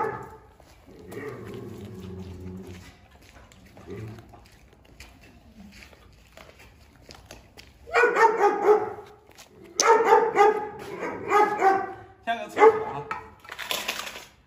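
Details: Fierce Presa Canario dog guarding its food: a low, rumbling growl early on, then after a quiet spell a series of loud, harsh snarling barks in short bursts toward the end.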